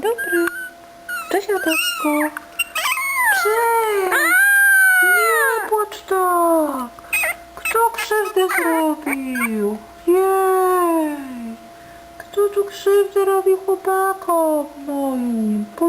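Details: An 18-day-old puppy that cannot yet walk but climbs in and out of its bed gives long, wavering whines that rise and then slide down, over and over, while a woman talks to it soothingly.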